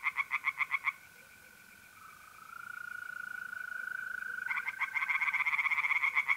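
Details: April night at a pond in north-east Italy: a brief burst of rapid tree frog croaks, a lull where only the steady mole cricket trill sounds, then the frogs resume their quick pulsed calling.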